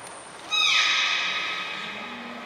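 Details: Port of Nagoya Public Aquarium beluga, training session of 25 July 2021. A sharp high trainer's whistle is followed by one sustained bright harmonic cry that starts with a slight downward slide and then holds steady for two seconds.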